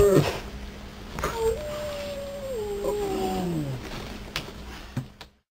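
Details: A young, very vocal male English Springer Spaniel gives a long, wavering whine that slides slowly downward in a small room, randomly "talking" to his owners.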